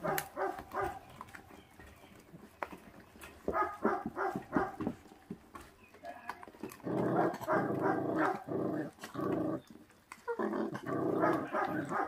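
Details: Feral dog puppy, from a litter its mother does not care for, growling while eating: rough, rasping bursts, the longest near two and a half seconds, broken by short gaps and faint clicks, with quiet human voices in the background.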